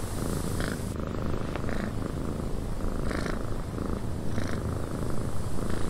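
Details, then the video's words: Cat purring in a windy cabin: a steady, deep, rumbling purr that continues without a break, with a constant airy wind hiss over it and brief soft higher-pitched rustles now and then. "Cat Purring in a Windy Cabin"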